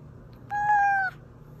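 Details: House cat's single steady meow, played to draw hidden cats out of hiding; a smooth, even cry of about half a second over a quiet indoor background hum.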